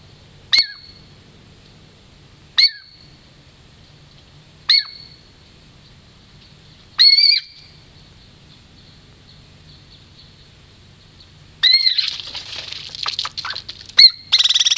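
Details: Douglas squirrel named Girl Squirrel, a friendly pet female in the Puget Sound lowlands, approaching for a treat: sharp, high chirps with a quick downward tail come every two seconds or so, then rustling scrabbling noises and one last chirp.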